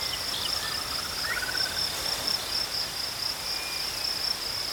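Crickets give a continuous high-pitched trill, even and unwavering from start to finish. A faint whistled bird phrase rises and falls briefly near the beginning.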